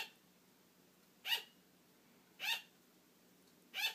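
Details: Pet female sugar glider barking for attention, wanting to keep playing as her owner falls asleep; three short, sharp yaps spaced roughly a second apart in a quiet indoor room.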